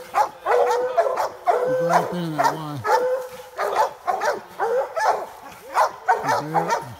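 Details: American Leopard Hounds and a Treeing Walker Coonhound treeing a raccoon in a swamp: several dogs give loud, ringing, wavering bays and chops in quick overlapping bursts, with a low human voice briefly beneath them.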